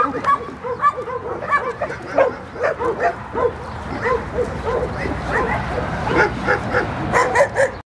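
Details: A dog, dated 12-03-2016, barks steadily in short, loud yaps about twice a second, some rising into higher yips, with faint voices mixed in until the recording stops abruptly.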